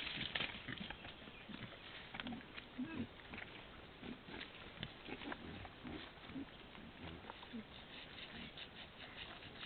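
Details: In summer, wild boar (Sus scrofa) give short, low grunts amid steady rustling and snapping.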